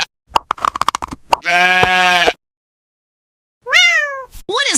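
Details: Sheep giving a gentle baa: one steady, buzzy, harmonic bleat lasting nearly a second, preceded by a woman speaking and followed after a pause by two rising-then-falling cat meows.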